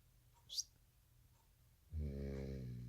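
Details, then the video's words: A sleeping American Bully puppy, worn out from missing a nap after dinner, snores at night. A soft hiss comes first, then a deep, droning snore with layered low harmonics begins and carries on to the end. "Puppy snores so loud | American Bully"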